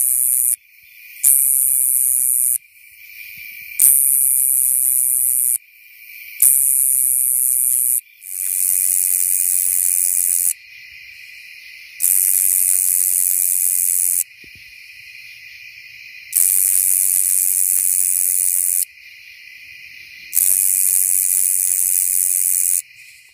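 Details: Nebraska coneheads (Neoconocephalus nebrascensis) sing their courtship song shortly after sunset on 28 August in Coles County, Illinois: loud, high buzzes lasting a second or two, broken by short silent pauses.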